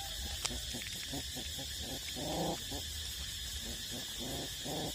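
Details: Eight-week-old puppies still nursing from their mother: a run of short, squeaky whimpers repeating rapidly over a steady hiss of background noise.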